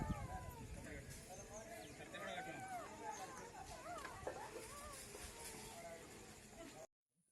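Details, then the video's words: Street-dog puppies left by their mother, crying for her and for milk: many overlapping thin, wavering whines rising and falling, nearly continuous, over rustling and low background noise, ending in sudden silence. "తల్లి కోసం కుక్కపిల్లల ఏడుపు"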